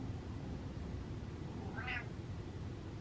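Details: Butters, a pet cat who was gassy, gives a single short meow near the end, a brief rising-then-falling harmonic cry over a steady low indoor hum.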